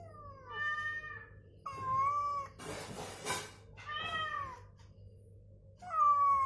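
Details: Recovering house cat answering replayed cat sounds meant to get it moving and vocal: four long meows, some rising then sliding down, separated by pauses, with a brief harsh rustling burst in the middle.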